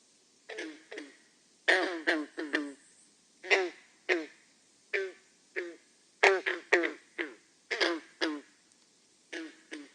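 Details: Green frog (Lithobates clamitans), Massachusetts, spring advertisement call: short, twangy notes like a plucked banjo string, given singly and in quick clusters.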